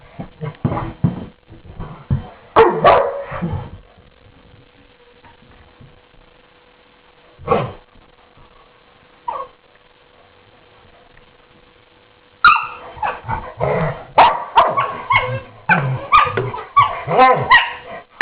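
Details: Two dogs at morning play: a burst of growls and barks, a quiet stretch with a single bark, then a dense run of rapid high yips and barks to the end.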